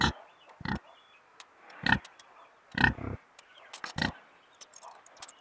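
A pig gives short, rough, pulsing grunts in irregular bursts about a second apart.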